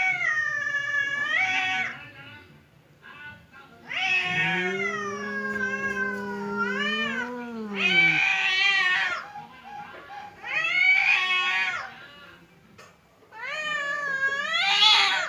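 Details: Domestic cats Temon, the aggressive one, and calm Lelo confront each other through a partition before a fight; long wavering caterwauls alternate, one deep low moan swelling and sinking, others higher and warbling, with short quiet gaps.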